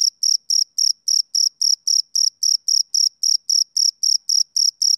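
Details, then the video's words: Male cricket on a summer evening producing evenly spaced shrill chirps, nearly four each second, crisp and loud with no other animals or noise present. "Cricket Chirping Sound Effect"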